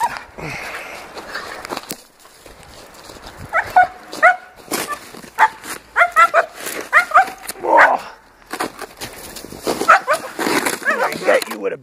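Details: Tiger, a 6.5-month-old Donovan Pinscher weighing 62 lbs, being agitated by a man with no equipment during protection training outdoors with a snow shovel. Bursts of harsh, harmonic barks mixed with whining yelps come in irregular clusters, with rustling and a voice in between.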